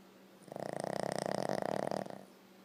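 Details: Loud snoring from a Boston Terrier dog, one drawn-out fluttering snore starting after half a second, swelling and rattling quickly for about a second and a half, then dying away, over a faint steady room hum.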